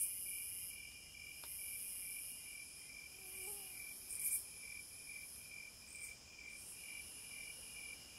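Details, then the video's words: Wilderness cicada chorus with high hissing buzz rising and falling in long waves, a quick loud burst near the middle, and an even train of lower pulsed chirps running underneath throughout. "Sounds of the Wilderness & Nature ASMR Study Rest Relaxation Sleep White Noise No Music - Cicadas"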